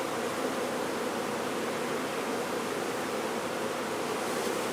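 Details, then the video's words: Swarming honey bees during a removal: an unbroken, even buzzing hum from many bees together, thick and hissy, holding the same level from start to finish. "Honey Bee Swarm Removal"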